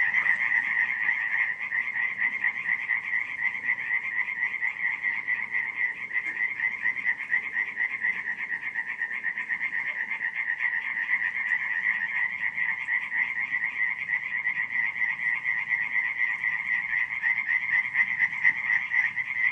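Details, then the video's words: A July night at Radziszów, Poland, 2015, filled with frog croaking: many callers merge into a continuous fast-pulsed rattle that stays even and loud throughout, without pauses. "nocne kumkanie żab"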